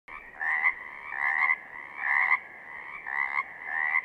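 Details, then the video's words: Pacific chorus frogs calling in southern Oregon: a dense chorus of two-part raspy 'rib-bit' croaks, each lasting about half a second, repeated roughly every second with several frogs overlapping. "Pacific Chorus Frogs - photo gallery and calls"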